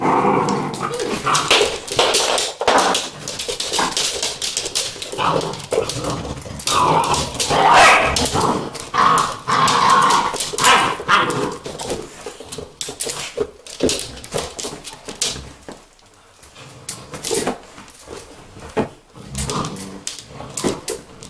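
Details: Several Vizsla puppies whimper and yelp in uneven bursts. Thin tonal whines fill the first half, then give way to clicking, scrabbling and shuffling noises broken by scattered short cries.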